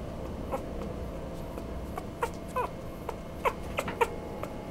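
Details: Chihuahua-Poodle mix dog giving a few short, thin whimpers scattered over the second half, each a quick bent note, over a steady low mechanical hum.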